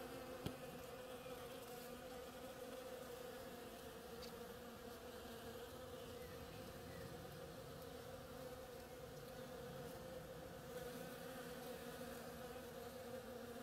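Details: Many bees foraging on a flowering oriental creeper produce an even, layered hum that holds steady for the whole stretch, with an isolated sharp tick near the start.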